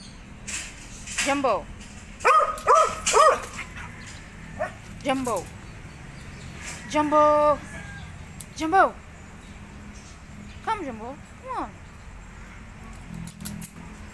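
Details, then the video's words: Dogs fighting: a run of sharp, descending yelps and barks in short bursts, some clustered in quick threes, others single, spread across the stretch over a steady background hum. "#DOGS# #FIGHTING#"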